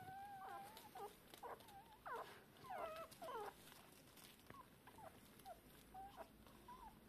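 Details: Hours-old Shiba Inu puppies calling for their mother. Soft, thin whimpers and short squeaks, partly masked by a steady background hiss, louder around the middle and trailing off.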